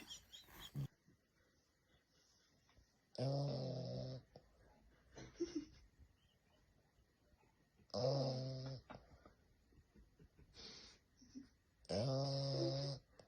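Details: Sleeping French bulldog snoring indoors: loud rasping, harmonic snores with a wheezy whistle on top, roughly every four seconds, separated by quieter breaths and faint snuffles.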